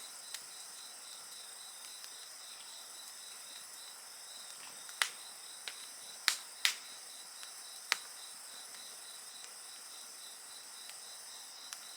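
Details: Insects chirring near an open fire, a steady high-pitched shimmer with a rapid pulsed trill, interrupted by a burst of several loud wood-crackling snaps midway.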